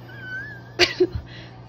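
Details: Kitten calling while being petted; a thin, high, steady whistled mew, then a sharp bright squeak and a short lower chirp, with a person speaking softly and faint music underneath.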